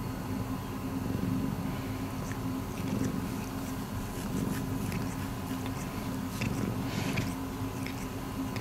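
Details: Miiko, a rescued pet cat, purrs continuously in a small room. The deep rumble swells and eases in waves, with scattered light clicks and rustles higher up and a faint steady hum underneath.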